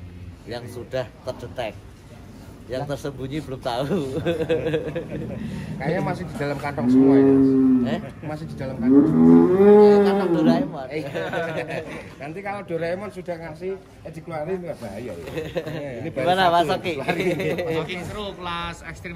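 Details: Giant cattle at a Wonosobo farm, some weighing up to 1.3 tons: two deep, wavering moos in close succession midway, with people talking before and after in the barn.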